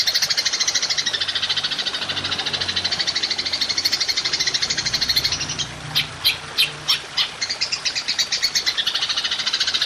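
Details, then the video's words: Golden grasshopper, recorded for training songbirds, in long-shot style: a rapid, steady, buzzy pulsed trill that breaks into separate choppy bursts around the middle before the continuous buzzing resumes. "Belalang Emas Nembak Panjang"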